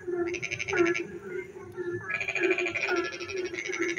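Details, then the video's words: Frogs singing at night while it rains: two long rattling, pulsed trills separated by a pause, with short bent croaks mixed in and a steady background drone. "frog singing in the dark night when it rains"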